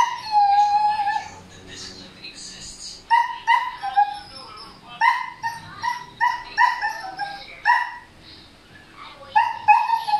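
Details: Noisy male Siberian Husky reacting to a female in heat: long whiny, wavering cries followed by repeated yelping, talk-like vocal bursts with harmonic bands, quiet pauses between, faint voices in background.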